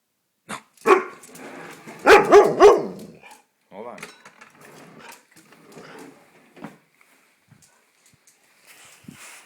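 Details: Golden retriever named Taylor, hungry and waiting for its dinner indoors, gives a cluster of short harmonic barks and whining yelps around the two-second mark, with fainter whines after, while a person talks about finding the can opener.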